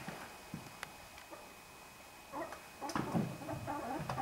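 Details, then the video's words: Ferrets in a big fight: quiet rustling and faint taps, then bursts of rough squeaks, hisses and chattering clucks coming fast over the last two seconds. "FURETS Grosse baston"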